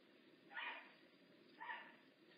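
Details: Makani, a rehab bobcat at Big Cat Rescue, gives two short, harsh, raspy calls about a second apart, with quiet background between them.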